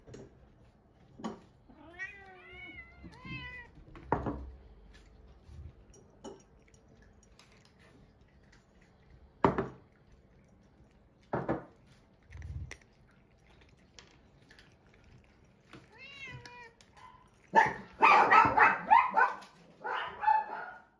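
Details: An adult male Munchkin cat, normally gentle, flies into a rage when another cat sniffs his rear, giving harmonic, wavering growl-yowls, then a burst of harsh hissing and spitting.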